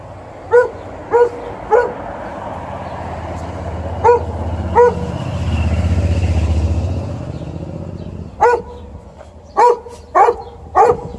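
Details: Golden Retriever. A Golden Retriever barks repeatedly, each bark short, clear and mid-pitched, coming singly or in quick clusters at uneven intervals. A low engine rumble swells and fades in the middle as a vehicle passes.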